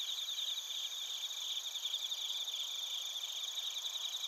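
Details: Bell crickets and other crickets recorded in Narita, Chiba, Japan, with a TASCAM Portacapture X8: a dense, steady high-pitched trilling chorus with bright ringing pulses layered over a constant shrill hum, no other sounds.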